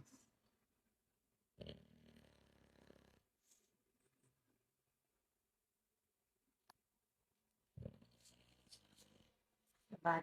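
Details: Brutus the Bulldog sleeping, giving two soft rasping snores roughly six seconds apart with near silence between, a faint click in the pause and a sharper noise at the very end.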